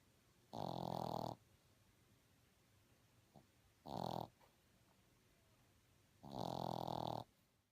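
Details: Boston Terrier puppy snoring while asleep, three coarse, rattling snores in under eight seconds, the first and last drawn out, the middle one shorter, separated by near silence.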